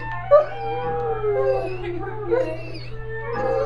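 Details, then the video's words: Buckley, a dog learning to howl, holds a long wavering howl that slowly falls in pitch, then rises again in a second drawn-out phrase, over a constant low hum. "Buckley Learning to Howl"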